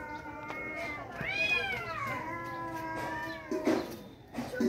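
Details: Two angry tomcats fighting: a long drawn-out wavering yowl that swells upward then sags and trails off, rich in harmonics, with rustling and a thump near the end.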